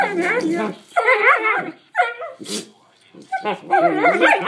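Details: Two Collie puppy sisters vocalizing together in loud, wavering, howl-like whines that bend up and down in pitch, in several bursts separated by short pauses, with a brief hiss near the middle.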